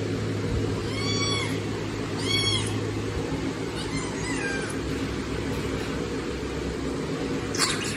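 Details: Kittens meow loudly while asking for food, giving short rising-falling cries near 1, 2.5, 4 and 4.5 seconds, with softer overlapping calls, a constant low hum for the first three seconds and a click near the end.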